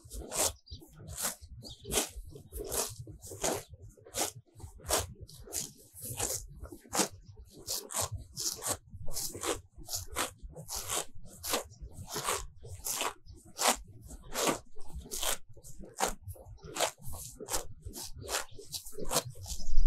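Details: Cows grazing in a sunny pasture full of fresh grass, recorded very close. Crisp, dry rips as tongues pull off grass repeat roughly every half second in a steady rhythm, with a soft low rumble underneath.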